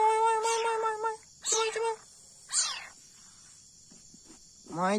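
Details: Leopard cat kitten being hand-fed milk, giving a series of high, tonal mews: a long steady cry, a shorter one, then a falling squeal, followed by quiet and a final rising mew, with faint insect hum behind.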